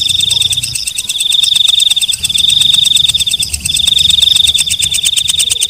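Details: Walang kecek (night grasshopper), a katydid, heard at night: a sustained, glassy high-pitched trill with short gaps and a ticking pulse beneath it, quicker than four per second.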